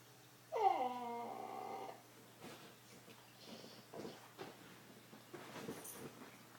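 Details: A single loud, tonal whine from Wrigley the dog swoops downward and trails off over about a second, followed by soft snuffling and breathy sounds indoors.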